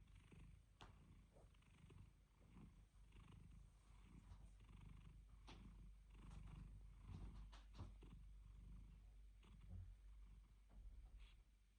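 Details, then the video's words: Napping domestic cat purring: a low, steady rumbling drone with uneven breathy swells and scattered soft clicks and snuffles over about twelve seconds, recorded indoors. "Purring & snoring: the cutest (and loudest) nap ever"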